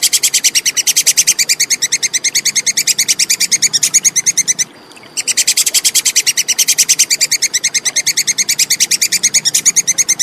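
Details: Rapid, machine-like chatter of a Plantain squirrel: bright, sharp repeated notes at about six per second, one short break midway, otherwise continuous. Clear recording prepared as song-tutoring material for cage birds.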